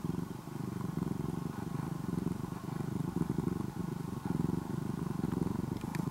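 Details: Former stray kitten, orange and white, now nearly a house cat in Japan, purring loudly like an engine; a steady low rumble pulsing in quick regular bursts with no pauses, faint household background.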